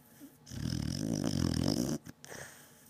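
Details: Deeply asleep Beagle called Batman gives one long, loud, throaty snore lasting about a second and a half, followed by a short snort and soft breathing.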